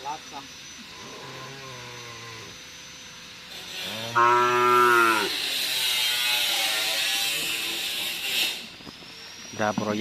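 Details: Racing cattle at karapan sapi bull-race training on the Asemanis field in Madura; several moos, a short low one early, then a loud sustained harmonic moo of about a second, amid crowd noise, hiss and a closing call.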